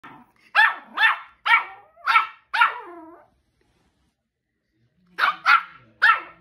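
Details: Two-month-old Shih Tzu puppy named Zoey giving its first barks: five high, sharp yaps about half a second apart, a short silence, then three more quick yaps.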